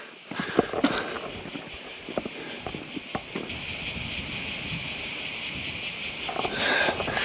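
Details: Cicadas along the medieval walls of Ston in southern Croatia, described as everywhere and very loud, give a pulsing high buzz that builds and throbs about three times a second, with footsteps, clicks and brief voices underneath.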